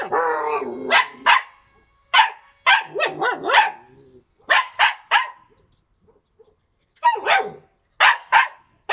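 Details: Yakutian Laika, September 2020: a drawn-out, wavering whine-like opening, then bursts of clipped barks in pairs and triples, with a short quiet gap before more barks.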